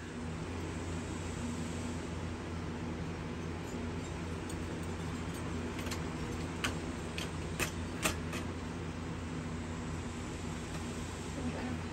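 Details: Steady mechanical hum like a fan or engine fills the room, with scattered sharp clicks and jangles midway and no animal sound.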